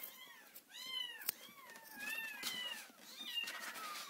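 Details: Four-week-old orphaned kittens, four in the litter, reared by a person since their mother was killed, in their everyday wake-up chorus: near-continuous overlapping thin meows, arched in pitch, about one each second.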